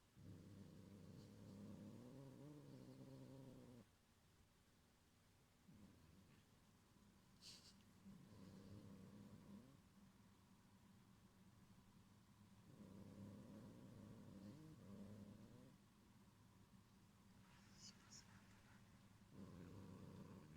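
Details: Gyopi the cat keeps up a menacing growl to protect its toy Cotton-sensei from Ebiten: low, buzzy rumbling bouts lasting several seconds with brief lulls, plus occasional faint high clicks in the room.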